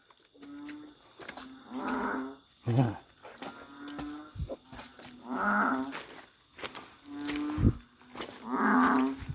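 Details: Along a Thai creek, narrow-mouthed frogs fill the night with a chorus while searchers spotlight them. Mid-pitched bleating calls swell about every three seconds, mixed with short deep grunts, a low steady hum and clicks.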